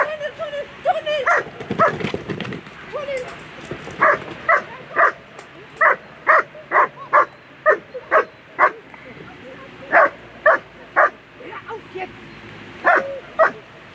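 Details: Agility competition at world championship level, a German Shepherd barking excitedly in quick bursts of sharp single barks, about two per second, after a loud stretch of commentary and crowd sound at the start.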